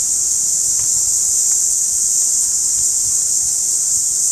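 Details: Steady, piercing high whine of a periodical cicada recorded at close range, constant throughout, with a few faint clicks underneath.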